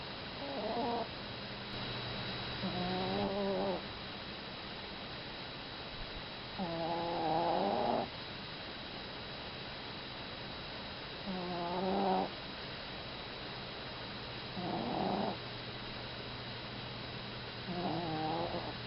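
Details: Sleeping Chihuahua snoring like an old man: a buzzy, harmonic snore rising slightly in pitch, repeating roughly every four seconds over a steady low hum.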